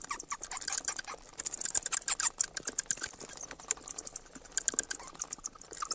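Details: Rapid shrill chattering of a bat, quick strings of sharp high squeaks and clicks that swell after the first second and continue in uneven bursts to the end.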